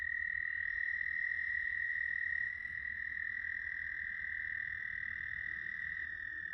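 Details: Ohio chorus of American toads, South Point, Huron, May 10th 2022: sustained, even, high-pitched trilling that never pauses, two voices overlapping at close pitches, over a faint low background hum.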